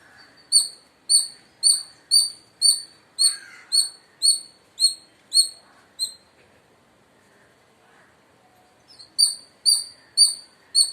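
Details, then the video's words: Indian palm squirrel repeating piercing, high, short chirps in a brisk, even series. The calling stops for about three seconds, then picks up again at the same quick pace. Soft lower chatter sits faintly beneath. "Loud Squirrel Chirping Sounds | Indian Squirrel Sound"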